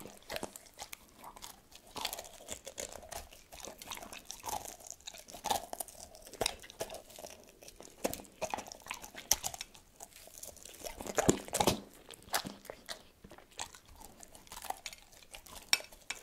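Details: Tito the dog eating cordon bleu indoors, no talking: steady wet crunching and biting, irregular chews several per second with sharp crisp clicks and louder crunches near the eleven-second mark, a quiet small room behind.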